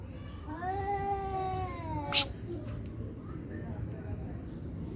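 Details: During a cat fight, a drawn-out rising and falling yowl lasts over a second, then cuts off into a sudden sharp hissing burst, followed by near quiet with low background noise.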